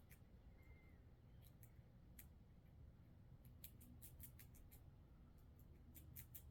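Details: A squirrel scrapes down a thick-shelled black walnut, with sharp, irregular clicks and scrapes over a low rumble.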